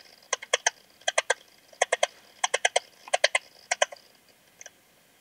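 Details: Singing Eastern Stripe-headed Cricket, Puntigam, Austria, 10 June 2022, heard via a Pettersson D 100 ultrasound detector: rasping clusters of three or four clicky pulses, spaced about every 0.7 seconds, fading at the end.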